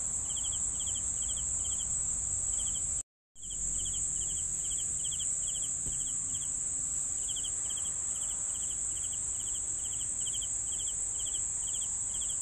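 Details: Crickets give rapid pulsed chirps around four per second against a continuous high insect whine; a short total silence cuts in near the three-second mark before the chirping resumes.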